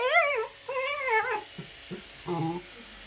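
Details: Pembroke Welsh Corgi puppy complaining while being brushed: two wavering, yowling whines that bend up and down, followed by short clipped cries and a lower, softer moan, all in a small indoor room.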